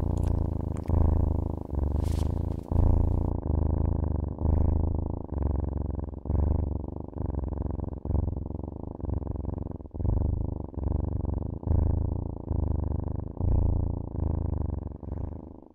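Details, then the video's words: Pet cat purring close up, a deep even rumble rising and falling with each breath roughly every two seconds, with a brief rustle near the start. "CAT SOUNDS"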